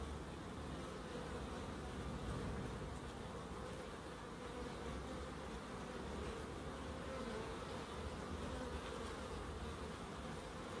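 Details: A continuous hum of bees fills a small wildlife garden in Crookes. The low, even drone holds without pause, with a slightly heavier rumble underneath throughout.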